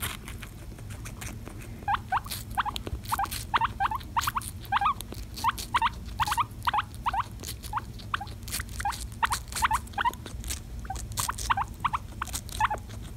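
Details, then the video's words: Guinea pig eating watermelon, giving short rising squeaks in quick succession, several per second, over steady wet crunching and chewing clicks throughout. "Guinea Pig Watermelon ASMR!"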